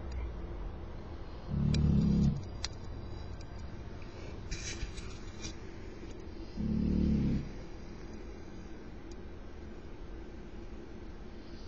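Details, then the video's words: Loud snoring from Tyson, a pet dog, indoors: two low, rasping snore breaths, each about a second long and roughly five seconds apart, with quiet room hum and small clicks between them. "Tyson's snoring!"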